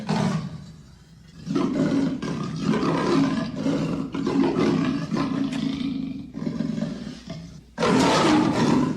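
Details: Rough, throaty snarling from an Amur leopard. Gravelly bursts are broken by short quiet gaps, and a loud final surge closes the sequence.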